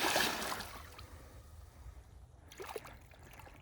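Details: Splashing and trickling water with paddle or boat noise, and no animal calls. A second burst of splashing follows a quieter stretch of low rumble.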